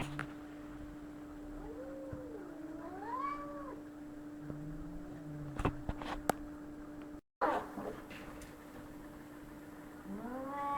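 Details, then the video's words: Cats fighting: drawn-out wavering yowls that rise and fall in slow loops, followed by a low moaning growl and a fresh rising wail at the end, over a steady electrical hum. "Cats Fighting"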